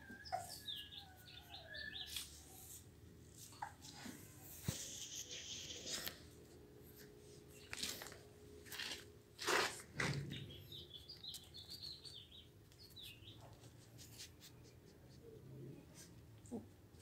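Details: Blue American Pit Bull Terrier puppies, offspring of Raven, on day 24, giving high, thin chirping whines and squeaks in scattered bursts over a noisy indoor background with thumps and knocks.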